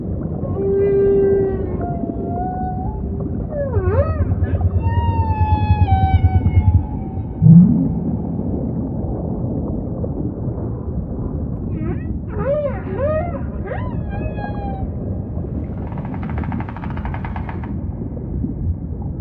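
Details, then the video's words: Humpback whale song: long, level moans near the low middle register, then rising whoops and sliding harmonic cries, with a short pulsed burst near the end, all over a constant low underwater rumble. "Majestic Whale Song · beautiful humpback & ocean ambience"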